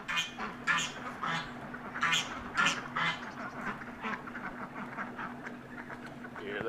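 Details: Piglets feeding at breakfast: irregular nasal grunts come roughly twice a second, louder early on and thinning out toward the end, against a steady background hum.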